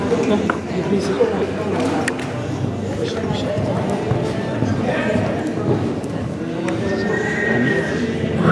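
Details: Haflinger mare La Martina during presentation and free running at a mare inspection in St. Pölten on 8 May 2015, rated Class 1; a drawn-out whinny rises late in the clip over hoof clops and steady talking in an indoor hall.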